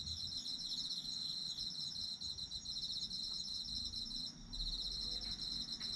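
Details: Autumn insects calling in Japan, for sleeping: bright high chirped trills from several insects, a short gap in the top voice, and faint low rumble in the background.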